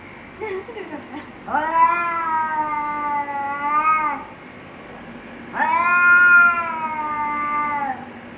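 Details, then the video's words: Fighting cats growl threats at each other: a brief low grumble, then two sustained, harsh, drawn-out yowls of two to three seconds, holding steady and bending slightly downward at the end. "แมวกัดกัน เสียงแมวขู่กัน"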